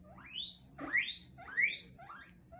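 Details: Guinea pig squeaking: a run of four or five sharp, upward-sweeping whistled squeaks with bright overtones, each roughly half a second long, coming in quick succession against a quiet background.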